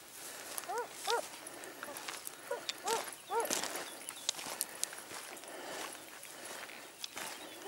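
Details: Segugio Italiano hounds, smooth- and rough-coated, hunting hare at Sofiko, Evros, Greece, on 18 October 2015: distant, clear arched howling bays in two short bursts, with rustling and footsteps in the open countryside.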